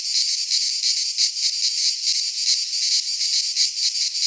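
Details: Cicadas of the Greek fauna singing in a midsummer pine forest: an intense, hissing, high-pitched drone with quick rhythmic throbs and gentle rises and falls in loudness.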